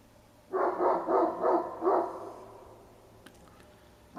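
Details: Bored domestic dog barking with nothing going on in the neighbourhood, at 9:30 am in late November: a fast run of five harsh barks about a third of a second apart, then quiet with a couple of faint clicks.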